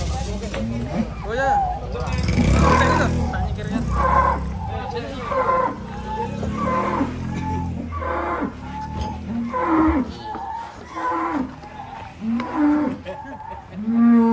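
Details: Cattle turns wild while climbing onto a truck and smashes the truck's cargo bed. Deep bellowing moos recur through the scene, one low and loud early on, then shorter lowing calls, mixed with men's voices and clatter.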